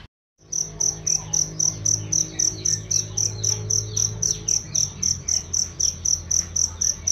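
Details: Loud, clear cricket chirping meant for training songbirds. After a brief silent start, piercing high chirps pulse evenly about four per second, over a low hum in the first half.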